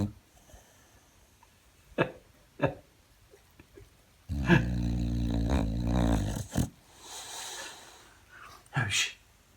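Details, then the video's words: Yoshi, a sleeping 13-year-old female Boxer on a worn couch, gives one loud, deep, rasping snore lasting about two seconds, framed by softer snuffling breaths and short sniffs. "Thunderous snoring from a sleeping Boxer!"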